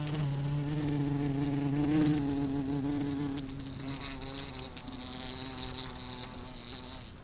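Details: Wasp buzzing: a steady, low droning hum with rich overtones and a slightly wavering pitch. It is loudest in the first half, then softens and drops a little in pitch as a crackling, hissy noise rises in the background.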